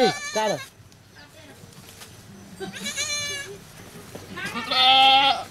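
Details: Bleating at a cow farm where a goat has just given birth to a kid: a short, falling bleat opens, softer calls follow, and a long, wavering, high bleat closes the sequence.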